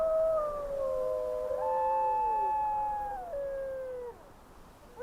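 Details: Wolves give long, smooth, overlapping howls that slide slowly up and down in pitch in windy weather.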